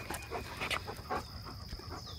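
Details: Panting from one of a pack of four dogs, Labradors with a German shepherd, outdoors on a quiet morning: breathy broadband bursts roughly three per second, with faint bird chirps and a steady high hum behind.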